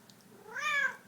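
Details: Domestic cat meowing after having catnip, indoors on soft wool carpeting; one short meow about half a second long that rises then falls in pitch, with people's voices nearby.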